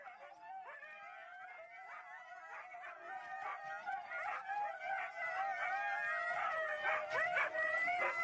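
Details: Several Siberian huskies at a race in East Anglia, England, giving overlapping high wavering howls and yips that build from quiet to a steady loud chorus.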